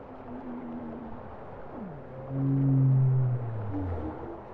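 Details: Bowhead whale singing a deep moan that sweeps upward, then swells into a loud, sustained, harmonic-rich low tone before fading. A softer wavering note sits before it, over a low underwater rumble.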